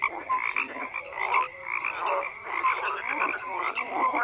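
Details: A chorus of frogs croaking: a steady buzzy drone of overlapping croaks with short whistled notes and brief rising chirps breaking through every half second or so.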